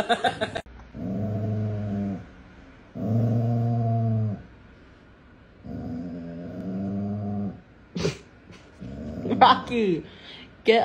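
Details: Pet dog growling indoors in a small room, four long low rumbling growls of about a second each with short gaps, then brief yips, a man's voice telling the dog to get up and move.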